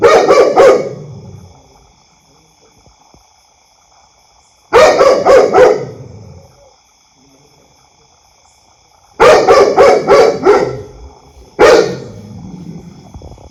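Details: Pet dog barking loudly in repeated bursts, each a rapid string of three to five harsh barks with ringing echo, separated by several seconds of near silence.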